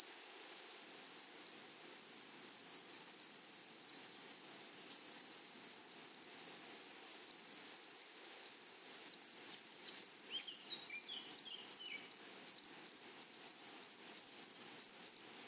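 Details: Meadow grasshoppers in a flowery prairie keep up a continuous high, sizzling trill, rhythmically pulsing, while a few faint chirps from a bird flicker past near the end.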